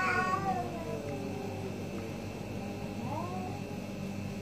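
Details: An orange cat opens with a quick, bright meow that slides downward, followed after a pause by a softer, shorter rising meow, part of a morning debate between two orange cats, with constant low background hum.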